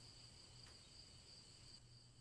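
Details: Repetitive cricket chirping meant for unwinding: a high, bright pulsed trill beating at a steady, brisk rhythm above a soft low drone, with one short click partway through.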